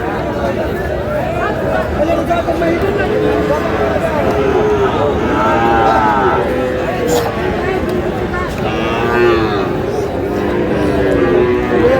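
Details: Sahiwal bull calves at a cattle market in Munshiganj on 11 August '26, a farmer buying. Several low drawn-out moos rise and fall, with steady crowd chatter and men bargaining nearby.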